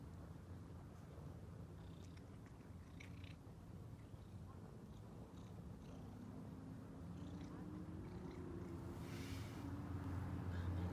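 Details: Ginger and white stray female cat purring with joy at seeing people after a meal; a low regular purr swells louder toward the end, with a faint higher hum late on.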